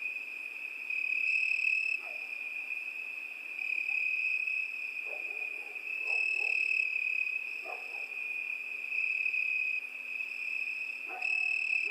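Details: Crickets trill steadily through a summer night, a high unbroken ringing tone, while faint, short, lower calls and soft knocks sound in the background now and then.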